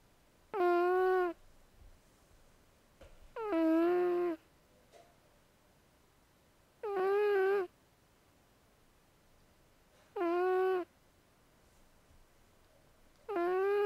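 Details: Indoor pet cat Zoey snoring as she sleeps, her vocal cords said never to have fully developed; five harmonic snores of under a second each repeat fairly regularly about every three seconds, with faint soft rustles between.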